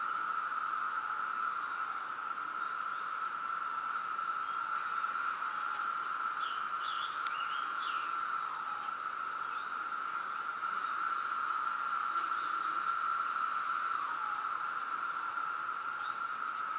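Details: Thousands of cicadas in Pennsylvania form a dense chorus, giving a steady, unbroken shrill drone throughout.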